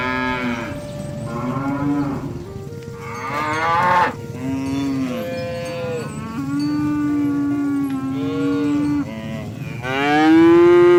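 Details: Oxen roaming a field, herded toward a rice field, calling friends to return to the barn: several overlapping drawn-out moos, some rising and falling, following one another throughout, with a steady ringing tone in the background.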